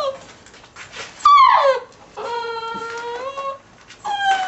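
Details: Six-week-old puppy from a ten-pup litter (American Staffordshire terrier sire, Border collie/German shorthaired pointer dam) lets out a sharp descending yelp, then a long, steady, slightly rising whining howl lasting over a second, and a final brief whimper.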